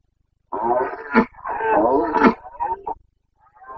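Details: Carpathian red deer stag roaring during the breeding season (boncănit) in the Bucovina mountains, 29 September 2022: two long, hoarse, harmonic bellows with rough pulsing texture, then a shorter grunt-like call, in quiet surroundings.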